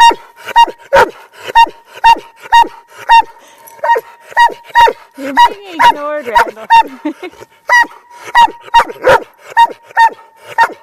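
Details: Rambo, a hundred-pound Doberman, yelling in other dogs' ears as they ignore him: rapid, punchy barks about once a second, with a short human voice murmuring mid-way and a thin constant tone in the background.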